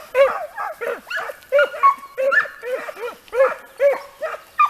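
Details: Segugio Italiano hounds working a hare in training, a dense run of repeated barking bays about every half second, several dogs calling together with little pause.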